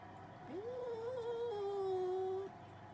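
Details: Two cats arguing, one giving a drawn-out, slightly wavering yowl that rises, holds, then dips lower and ends abruptly after about two seconds, with a faint hum underneath.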